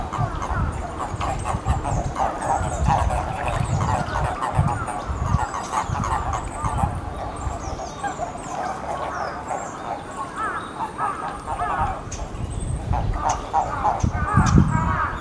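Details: Endangered eastern Japanese common toads at the Magatama pond of Hakodate Hachimangu shrine, Japan, on 2 May 2017: overlapping, rapidly pulsed croaking notes repeated continuously throughout.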